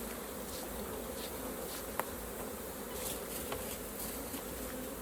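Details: Constant droning hum of honey bees from a hive opened for harvesting raw honey, even in level, with one sharp tap near the middle.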